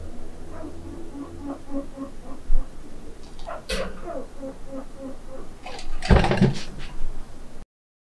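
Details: Two pet chinchillas, Mitty and Muff, in neighbouring cages: Mitty squeaks and Muff answers from one cage over. Short, soft, nasal squeaks come in repeated little series, then a sudden loud clatter near the end as one jets off to inspect.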